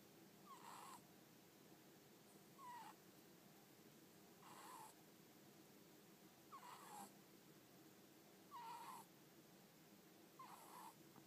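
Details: Pet ferret sound asleep with eyes half open and tongue flicking, snoring softly: faint, short, squeaky-hissing breaths repeat about every two seconds over a steady low hiss.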